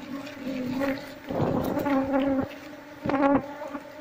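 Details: Apis cerana colony nesting in a traditional Seluma house while combs are taken out for hive transfer; a sustained humming drone that swells louder in bursts, with rustling and knocks of handling.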